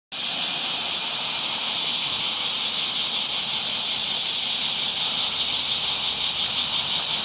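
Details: Cicadas calling in summer among green trees: a dense, steady, high-pitched buzzing drone that holds unbroken from start to finish, with no other clear sounds.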